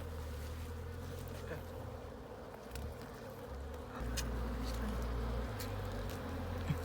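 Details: Wild honey bees in a hollow tree in Cambodia, disturbed as the nest is opened for honey; a steady low droning hum fills the clip with a few faint clicks and rustles, no voices prominent.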